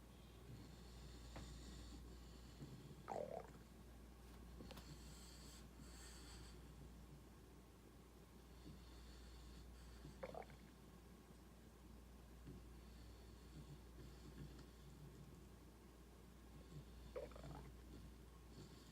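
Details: English bulldog asleep, snoring with low rumbling breaths and a sharper snort-like burst about every seven seconds over a steady low hum.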